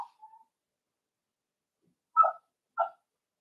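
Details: Cavalier King Charles Spaniel puppies playing in an indoor home puppy pen; a faint squeak, a pause, then two sharp, high yips about half a second apart.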